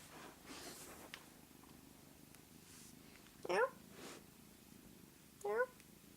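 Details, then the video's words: Pet cat making its unusual call, which people compare to the aliens in the movie Signs: two short, rising chirps with bright harmonics, about two seconds apart, over a soft background purr. "Funny kitty sound"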